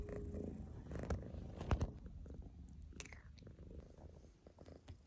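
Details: Domestic cat purring, a sign of contentment and having a good time; low rumbling purr with scattered clicks and rustling handling noises, fading toward the end.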